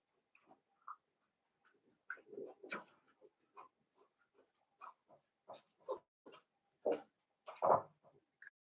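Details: Newborn-litter Blenheim Cavalier King Charles Spaniel puppies, two girls and three boys, in an indoor puppy pen. Frequent short whimpers and squeaky mews come in uneven bursts, growing louder toward the end, against a quiet background.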